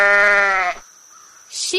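A sheep gives one wavering, nasal bleat lasting under a second. After a short pause, a brief rising voice follows.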